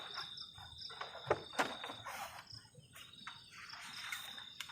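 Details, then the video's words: Crickets on a cold night beside a garden shelter at the forest edge during solo camping; a steady high-pitched trill runs throughout, broken by sharp clinks and clatter from cooking nearby. "ENJOYING THE SOUND OF CRICKETS ON A COLD NIGHT"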